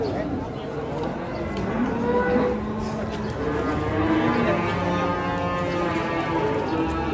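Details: European-class giant cattle stepping down from a truck low repeatedly in overlapping, droning moos, with people talking throughout.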